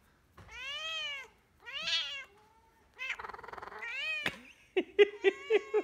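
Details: Domestic cat trying to meow while shaking its head indoors: two clear arched meows, then a warbling, rapidly pulsed meow as the head shakes, ending in a quick series of short choppy bursts; a person speaks Russian just after.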